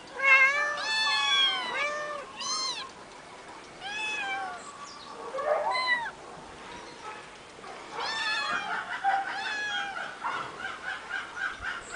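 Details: Eight-week-old kittens, three siblings living on a finca, on 11 May 2011: loud, clear repeated meows in quick bursts, each arching up and down in pitch, with quieter stretches between, then another dense cluster of overlapping cries.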